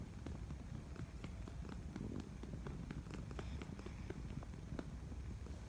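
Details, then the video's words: A cat that purrs rather than running off; steady low rumbling fills the recording, overlaid with irregular taps and handling noise. "Kucing ini bukanya lari malah mendengkur"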